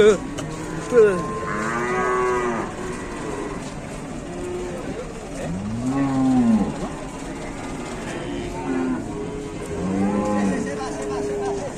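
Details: A calf on a rampage, charging here and there, lets out three separate moos: a short one early on, a loud arching bellow near the middle, then a final rising and falling moo, with background noise between calls.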